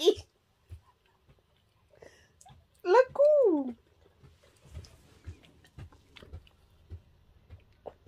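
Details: A puppy at home with its owner gives one drawn-out whine that rises and then falls, with a bright harmonic tone, amid quiet room noise and soft handling sounds.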